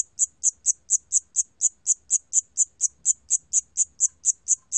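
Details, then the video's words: Siam cricket from a 2020 recording, producing a rhythmic run of short piercing chirps, close to four per second, clean and regular against a quiet background. "샴귀뚜라미, 여러번 듣기, 곤충소리"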